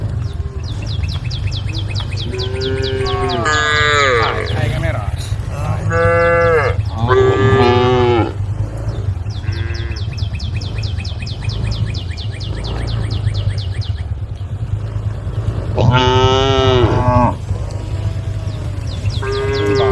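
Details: Tame female cows in a group calling the herd: drawn-out, harmonic moos at intervals, some rising then falling, over a steady low hum, with rapid high chirping repeated in the background throughout.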